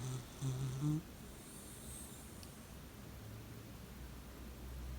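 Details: Shiba Inu named Nami snoring loudly indoors: a few deep, rumbling snorts in the first second, then steady low breathing noise.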